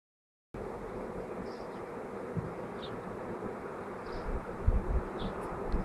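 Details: Bees swarming, recorded May 24, 2011: a dense, steady, even hum fills the whole stretch after a half-second of silence, with occasional soft thumps and gusts underneath.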